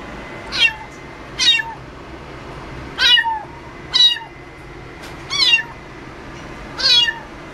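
An American Shorthair cat gives a series of high, thin meows, each falling slightly at the end.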